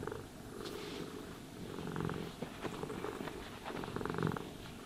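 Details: Domestic cat purring contentedly while being brushed and groomed, a low rumbling purr swelling in phases with each breath, overlaid by soft bristly brushing strokes; no talking.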